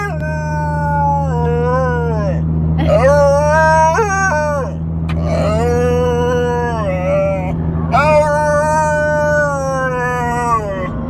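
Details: Alaskan Malamute making funny noises: long drawn-out howling moans that rise and fall, in several runs broken by short pauses, over a steady low hum in the background.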